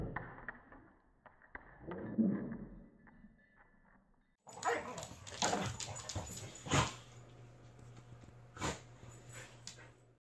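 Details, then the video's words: Corgi and pit bull playing together in a living room, slowed to slow motion; deep drawn-out growls and grumbles at first, then after a sudden cut louder broadband scuffles, thumps and yips over a steady low hum. "corgi and pit playing"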